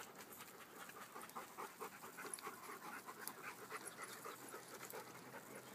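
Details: Beaucerons in a small pack out in the forest, a dog panting in uneven breathy pulses, slower and more irregular, with light scuffing and rustling in the background.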